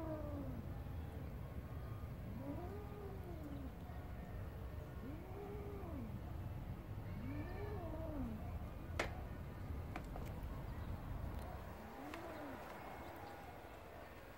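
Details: Garden cat playing with a grasshopper, giving low, arching moans that swell and fade, repeated every two to three seconds. The recording is quiet, with a sharp click near the middle and a faint hiss throughout.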